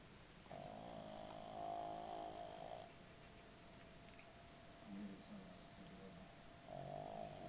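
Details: A pug named Oliver snores while sitting upright. A drawn-out, droning snore with a harmonic, slightly whistling edge fills the first two seconds. A quieter breath follows, then a second snore starts near the end. The room is otherwise quiet.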